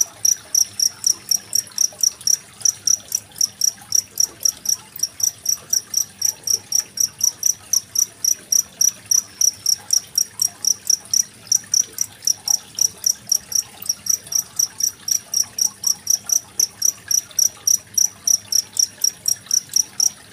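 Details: Long run of cricket song from Indonesia, 25 February 2023, paired with trickling water as tutor audio for contest songbirds such as magpie-robins; shrill chirps keep a steady pace near four per second over soft flowing water.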